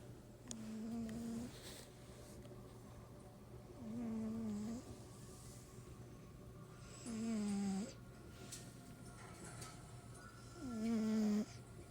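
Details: Domestic cat asleep and snoring, four wheezy, tonal snores spaced roughly three to four seconds apart, each a short steady nasal whine ending with a slight drop, with a constant low hum in the room.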